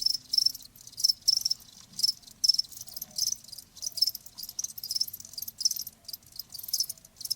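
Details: Cricket chirps presented as a tinnitus-soothing nature sound; high buzzy pulses come in uneven bursts about twice a second, with overlapping insects filling the gaps.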